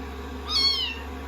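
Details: A single brief, high-pitched kitten meow, bending up then easing down, from a rescued kitten on a lap being dried with a hairdryer after a shampoo, day 16 of its growth record.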